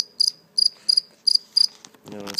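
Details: Five crisp, high chirps from a captured live cricket, later released, spaced roughly a third of a second apart, followed by a burst of human speech at the close.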